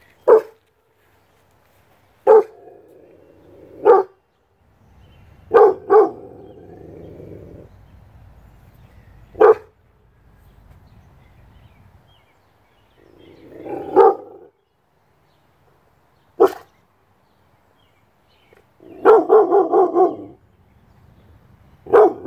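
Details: A six-month-old Rottweiler gives loud, deep single barks spaced irregularly, with a few growly, drawn-out woofs between; Rottweiler.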